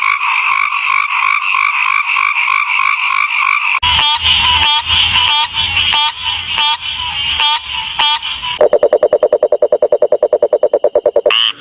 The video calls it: Frogs 🐸 making sound pokro pokro Allah's creation